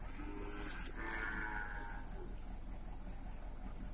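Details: Beef cattle in transit from Batu prison to the Nusakambangan open prison industry unit, Indonesia: one long, even moo of over a second with a sharp click partway, then steady low rumble.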